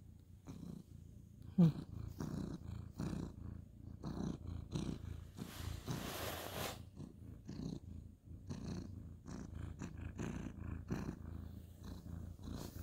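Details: Purring male ginger tabby cat, petted on a bed before lights out; dense low rumble with breath-by-breath pulses, a brief high squeak early on and a soft rushing rustle midway.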